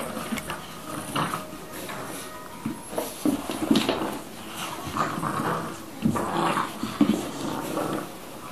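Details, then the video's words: Old English Bulldogs, an 11-week-old pup and a 20-month-old, playing tug of war: low rumbling growls rising and falling in uneven bursts, with scraping and knocking noises of the play. "Playing Tug Of War"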